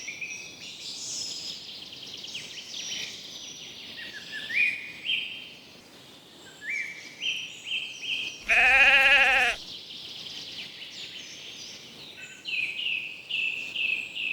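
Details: Lambs grazing in a cool green forest: a single loud, quavering bleat lasting about a second midway through, set against steady high-pitched chirps and stepped trills from other creatures in the woodland background.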